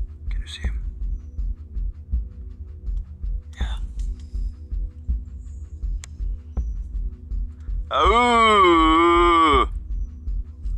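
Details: Red stag during the rut, filmed on a hunt: one harmonic roar of about a second and a half that dips and then rises, with a steady throbbing musical beat and a few faint clicks earlier.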